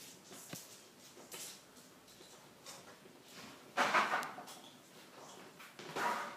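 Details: Three ten-week-old Weimaraner puppies at play indoors: scuffling thumps and rustling throughout, broken by a brief tonal yelp or growl about two-thirds through and another short vocal burst near the end.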